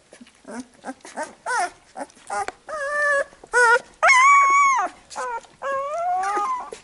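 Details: Young Labrador Retriever puppies complain as the mother licks them clean after feeding. Short clipped squeaks build into longer, steady whining cries and one loud, sustained wail, then several level whines.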